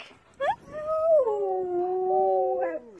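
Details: Husky putting on a dramatic protest while its collar goes on: a short sharp yelp, then one long drawn-out howling whine that rises slightly, wavers, and slides lower over about two seconds.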